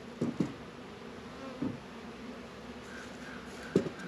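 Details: Honey bees busy at a hive in a northern Kentucky apiary during a mild 72-degree February day; an even, low buzzing drone runs beneath a few sharp wooden knocks.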